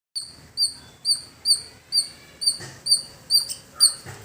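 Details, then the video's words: Squirrel calling in a village setting: sharp, high, clipped chips repeated roughly twice a second in a steady series, each note short and bright with a thin overtone; faint lower background sounds. "Beautiful Squirrel Making Sound"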